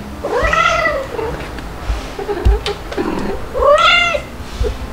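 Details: Stuart, a two-month-old white male kitten, nursed by two mother cats, Mel the calico and Pepper, cries indoors in July 2022: two loud, rising-then-falling meows about three seconds apart, with softer chirps and household knocks between them.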